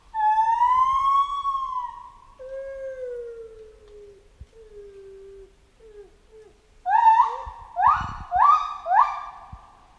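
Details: Chimpanzee in a jungle: a long, smooth, whistled wail that slides slowly downward and fades, then after a pause a burst of four loud, harsh rising screams.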